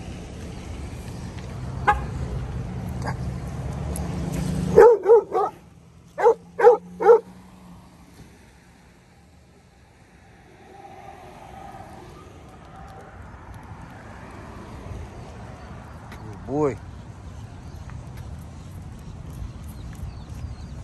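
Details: Dogo Argentino giving alert barks while out on a walk: a sudden burst of about five sharp, loud barks, then a long quieter stretch with low traffic rumble and one faint later bark.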